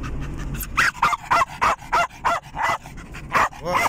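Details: German Jagdterrier, a pet dog, riding in a car and excited; rapid high yapping barks about three per second, uneven rhythm, with low engine rumble beneath.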